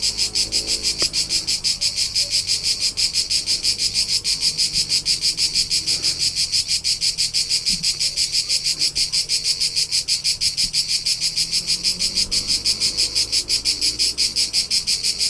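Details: In rolling Tuscan countryside, Italy, during summer, a cricket trills in rapid regular pulses, about three per second, bright and high, with a few faint low knocks in the background.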